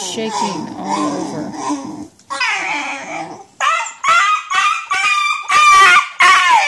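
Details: Basenji suffering nerve root damage, vocalising in pain as it walks: low, wavering, babble-like moans give way to a run of loud, high, harmonic yelping cries in short bursts.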